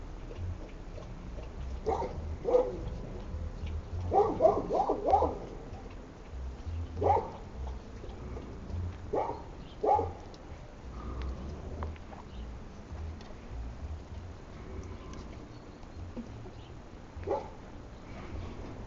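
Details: Šarplaninac puppies bred from Lun od Bjelica and Tara od Bjelica. Irregular short yips and small barks come singly or in quick clusters over a low, steady background hum, then thin out toward the end.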